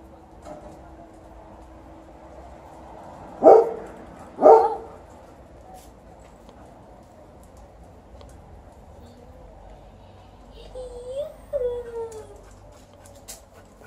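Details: Pet dogs, Liza the Alaskan Malamute and TJ the Golden Retriever, greeting their returning sister at home; two sharp loud barks about a second apart, then quieter whining, yelping tones rising and falling near the end over soft background hum.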